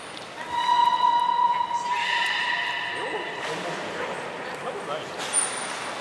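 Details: Beluga at Port of Nagoya Public Aquarium during a training session with Nana and Niko, 7 October 2018: a steady harmonic whistle held about a second, then a richer stacked tone, with a short high trainer-like peep and hall echo.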